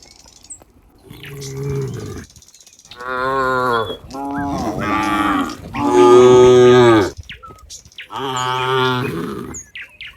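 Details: Cows walking neatly together in a group as they head back to their pen, mooing: several long, harmonic moos of about one second each, some deeper and some higher and strained, separated by short pauses.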